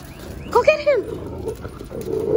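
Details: Alaskan Malamute on a summer weekend in Marathon Key, Florida Keys, recorded on an iPhone: one short harmonic whining vocalization that rises then falls over about half a second, followed by quieter outdoor background noise.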